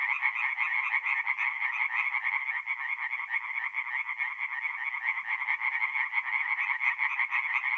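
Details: Many tree frogs sing together at night by a forest pond in North-East Italy in mid April, their quick, harsh croaking pulses overlapping into a constant throbbing chorus.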